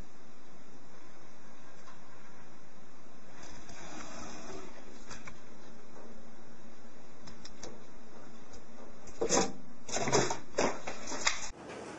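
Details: Indoor mechanical whirring with steady high tones and bursts of clattering, ending abruptly, with no animal sound.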